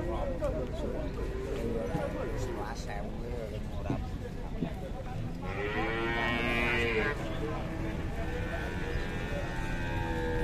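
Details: One of three cows in Indonesia called fierce, newly arrived and aggressive: a harmonic moo swelling in the middle of the clip amid background chatter and low noise, with brief weaker calls earlier.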